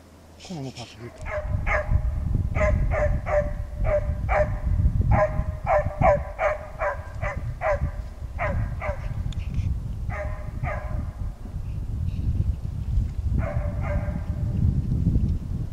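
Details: Scent-trailing Petit Basset Griffon Vendéen Ares baying during a hare and fox hunt on a warm day in Norway: a long run of fast, evenly pitched barks in clusters, with pauses, over steady low rumbling wind noise.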